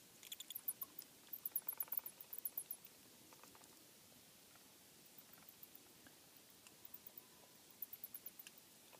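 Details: Bats heard in a home's attic during an inspection. Several bursts of shrill, rapid chirps with brief gaps between them, plus scattered faint ticks and rustles in a quiet enclosed space.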